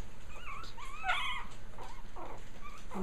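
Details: A litter of Japanese Chin puppies exploring the ground for the first time, giving thin high whimpers and squeaky yips, several short rising and falling cries over three seconds.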